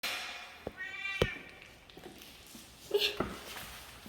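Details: Domestic cat at home meowing as it comes to the front door to greet its owner after hearing the door lock; a drawn-out harmonic meow near one second, a short mew around three seconds, thumps and a faint voice between.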